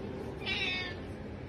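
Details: Domestic cat giving a single drawn-out meow lasting about half a second, steady and slightly nasal, over a soft hiss of room noise, followed by a person speaking to it.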